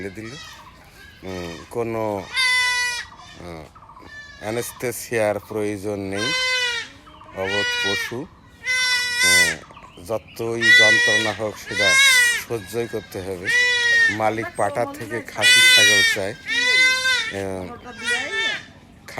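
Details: Male goat kid being castrated by hand with a knife gives repeated shrill, quavering bleats amid steady conversation from the people handling it.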